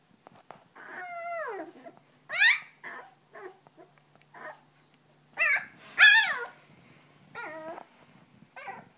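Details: Litter of three-week-old Belgian Malinois-Groenendael foster puppies, indoors in a shelter and struggling to stay awake, give long, drawn-out whines that slide downward in pitch, broken by shorter rising squeaks and quiet pauses.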